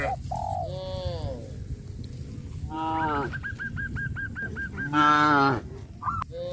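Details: Cattle being led to green grass fields moo with drawn-out, harmonic calls, while a run of short, hooked, repeated notes sounds between them.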